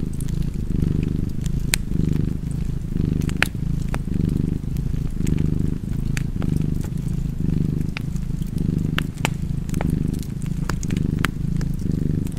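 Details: Steady, deep purring of a cat by a crackling fire, a continuous low rumble gently surging with each breath, accompanied by frequent light snaps and pops from the flames.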